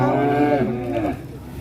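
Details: Short lowing from a giant black cow on an Indonesian farm, reportedly bought by a presidential bodyguard: a brief, higher-pitched moo that drops and fades within about a second, with faint music behind.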